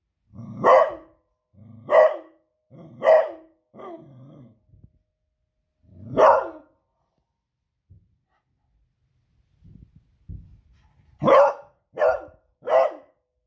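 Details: A female beagle in New Zealand barks sharply and loudly on a Friday evening, in pairs and threes with pauses, alarmed by booming fireworks; faint thuds and rustles fill the gaps.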